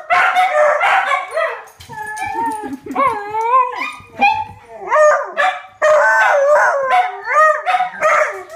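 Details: Four pet dogs howl together in a neighbourhood as a fire truck passes, answering the sirens; overlapping wavering, rising and falling wails, some voices sliding up in arcs, with brief gaps and a few sharper yelps mixed in.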